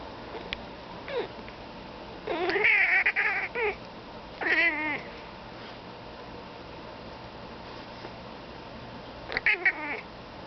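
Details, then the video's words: Pet cat calling toward crows outside in bursts of quavering, trilled meows: a cluster between two and four seconds, another short burst near four and a half, and a final chirpy burst near the end, separated by quiet. "Cat Talking to Birds"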